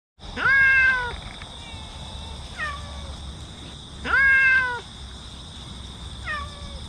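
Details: Park cat on 22 September, sheltering from rain as a typhoon approaches, giving two loud drawn-out meows each followed by a softer shorter one, repeating about every three and a half seconds over a steady hum.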